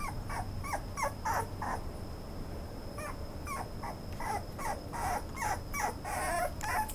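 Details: Toy Poodle giving repeated short whimpers and yips in uneven bursts through the recording, fairly soft, with background rumble and a steady thin high-pitched hum.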